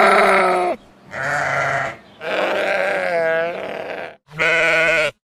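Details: Deep, drawn-out sheep bleats, four loud calls of about a second each, the third wavering and bending in pitch midway.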